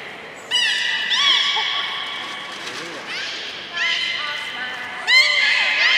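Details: Belugas at Port of Nagoya Public Aquarium, Japan, 3 February 2019, eating fish and playing afterward. Repeated whinny-like harmonic squeals with upswept onsets, about five bursts in six seconds, echoing through an indoor space.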